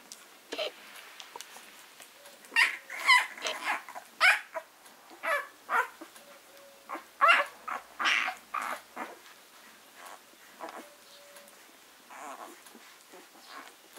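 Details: Six-day-old Leonberger puppies from a summer litter: short squeaky, whimpering cries come in irregular bursts, about a dozen over fourteen seconds, some louder and higher, with quiet gaps between.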